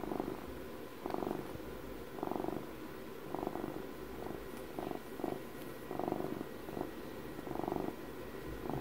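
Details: Twelve-year-old house cat purring close up on its birthday, a low rumbling purr swelling in soft bursts roughly every second, about eight pulses, each inhale and exhale audible, with faint room hum beneath.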